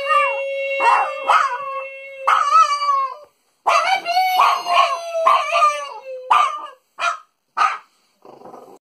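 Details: A French Bulldog sings for Father's Day, howling in wavering, yodelling bursts over a steady sustained tone.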